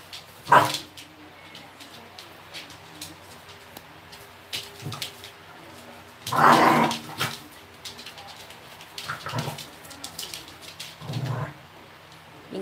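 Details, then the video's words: An 11-month-old female Pembroke Welsh Corgi named Minky, indoors, wants to play while a 4-year-old Maltese mix is unwilling. Single sharp barks come at uneven intervals of a few seconds, with two louder barks and quieter, softer ones between them. "현실남매 싸움편 / Welsh kogie a real-life fight"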